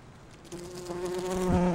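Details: Bumblebee gathering pollen on rhododendron flowers: a steady low droning wing buzz with a rich harmonic tone begins after a brief quiet start and grows gradually louder until the end.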